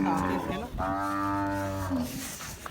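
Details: Cholistani bull at Bakra Eid letting out a clear, sustained, rich-toned moo of about a second and a half after a short opening grunt, steady in pitch then fading, with faint background noise.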